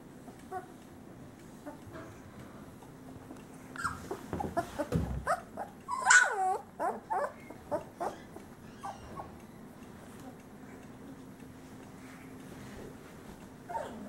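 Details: Male Great Pyrenees puppies from a summer 2013 litter, sons of Bella and Ranger; a cluster of short high whimpers and yelps rising and falling, loudest midway, over faint background murmurs and a steady low hum.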